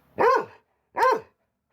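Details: Two loud, clipped barks from a pet dog, spaced under a second apart, with silence between them.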